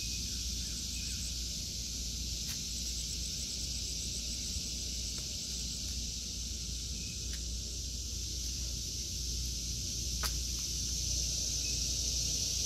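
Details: A summer garden of vegetables in August 2023 filled with a continuous high buzzing cicada chorus, even and unbroken, with a few faint clicks and a soft low background hum.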